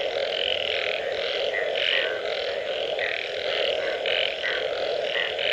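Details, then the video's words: Frogs calling after rain: a dense chorus of harsh, pulsed croaks repeated about twice a second, layered over a steady, low, droning hum from many more distant callers. "Unbelievable Frog Sounds after Rain"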